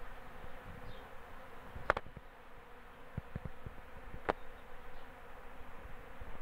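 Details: Western honey bees fill the air with a steady, low droning hum from many wings in spring, as they collect honey and pollen with swarming season approaching.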